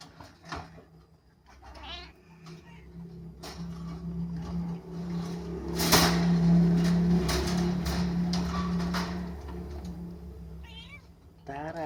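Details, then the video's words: Two young kittens give brief, wavering high mews at intervals, including a few near the end, partly masked by a loud steady low hum and occasional thumps. "ANAK KUCING MEONG MEONG"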